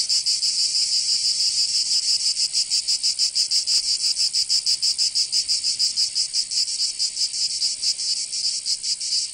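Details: Chorus of cicadas singing in summer in Provence, southern France: a dense, high, shimmering buzz pulsing rapidly and steadily throughout, with no other sounds standing out.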